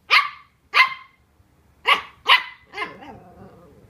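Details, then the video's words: Welsh Terrier pup Colin, intimidated by packaging, gives four sharp barks, the last two close together, then a drawn-out whining, wavering yelp that trails off. "Welsh Terrier Vs. Cardboard Box"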